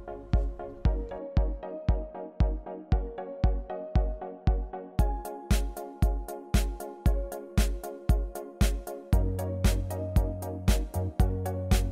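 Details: Electronic dance music with a steady thumping beat, synth chords and a deeper bass line joining near the end, with no animal sounds.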